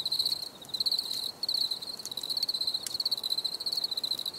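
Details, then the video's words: Crickets chirping for relaxation: a steady high pulsed trill in rapid bursts with brief gaps, several overlapping, over faint hiss and occasional clicks. "Les grillons || Bruit de Grillons Pour la Relaxation Anti Stress"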